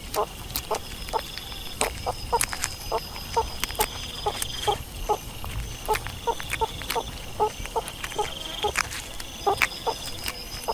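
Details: Meerkat calls as soft, brief peeps repeated at a fairly even pace, roughly two each second, with a thin constant high tone running behind them.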